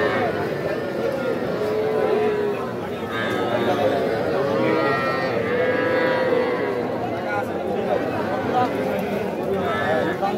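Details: Cattle at the Aftabganj livestock market in Nawabganj, Dinajpur, on 5 September, with young bulls and heifer calves for sale; low drawn-out moos overlap one another beneath steady crowd chatter and bargaining voices.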